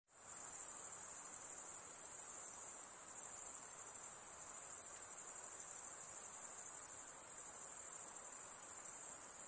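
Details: Insects singing in a steady, very high-pitched shrill trill that holds without pause for the whole stretch, with a faint shimmering pulse and nothing else clearly audible.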